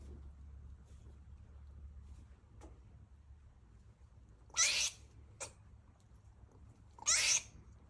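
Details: In heat, a rescued female squirrel calls and barks as she eats, producing two loud, breathy, rasping bursts about two and a half seconds apart with a brief click between, after a quiet opening.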